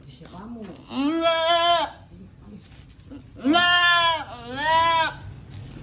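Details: Goat giving birth, calling out repeatedly. Three harsh, vibrato bleats come in two bursts: one long cry, then a pair in quick succession. Faint speech sits underneath.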